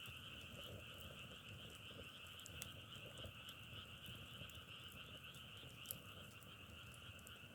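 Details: Steady chorus of many frogs, a constant high trill above a lower hum, with irregular sharp clicks and crackles scattered across it.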